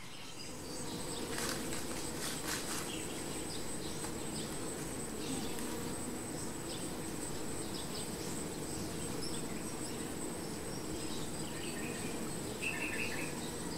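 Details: Honey bees at the hive, a dense, steady low buzzing hum that fills the whole recording, with a constant high thin insect whine above and a few short chirps of birds in the background.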